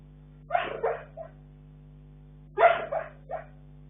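A sleeping Bull Terrier gives soft muffled woofs and whimpers in two brief bursts.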